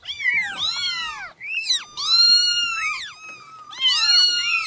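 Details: Several very small newborn kittens call together, overlapping high, bending meows rising and falling in pitch, almost continuous with only brief dips between cries.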